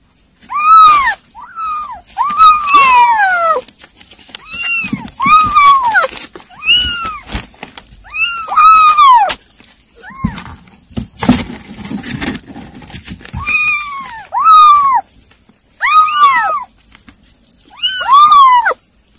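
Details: Several kittens eating weaning food keep up a chorus of bright arched meows, often overlapping, with a noisy stretch of clattering and rustling in the middle.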